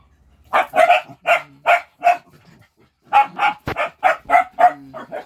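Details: A group of pet dogs playing before mealtime: two runs of evenly spaced sharp barks separated by a brief lull, with a faint whine under them.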